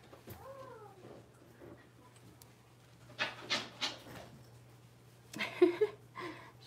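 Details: Blenheim Cavalier King Charles Spaniel puppies, a litter of five aged six weeks, in an indoor home puppy pen: one short arched whine near the start, then breathy snuffling bursts and soft sniffs over a steady low hum.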